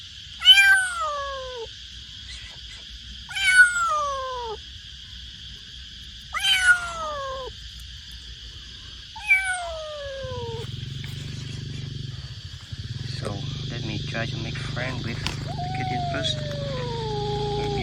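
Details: Young stray street kitten, scared and waiting to be rescued after its mother was hit by a truck, meowing loudly: four sharp falling meows about three seconds apart, then a low engine-like hum and one softer drawn-out meow near the end.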